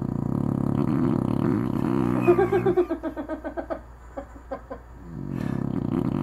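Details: Sleeping dog named Anna snoring indoors: a steady droning buzz, then a run of short pulsing snorts that fade before the low rumbling drone returns.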